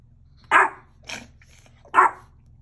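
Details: Hungry Mexican Chihuahua barking: three short, sharp yaps about three quarters of a second apart, the middle one softer, over a faint low hum.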